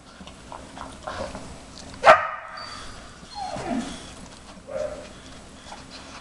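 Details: A 4.5-month-old Briard puppy whimpers from the background, wanting to join in while a 5-year-old German Shepherd sniffs out treats hidden under tennis balls during her first nosework try. One sharp yelp, then a falling whine and a softer whimper.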